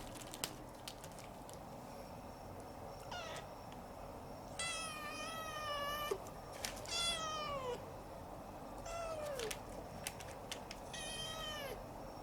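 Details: Siamese cat, a former stray kitten taken in and kept as a pet, gives four drawn-out meows, each a harmonic-rich wail that rises then falls, spaced irregularly over twelve seconds against a low indoor hum with occasional clicks.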